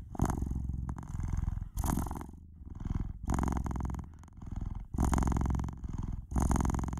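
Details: Domestic cat purring noisily, a continuous low rumbling buzz pulsing in alternating louder and softer phases roughly with each breath, about forty per minute, with no other sounds.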